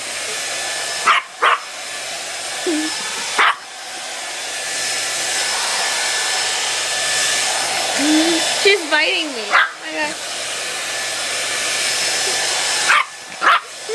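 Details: Scared puppy named Leah barks and whines at a hair dryer: loud clipped barks in pairs, then a wavering whine near the middle, all over the dryer's constant blowing noise.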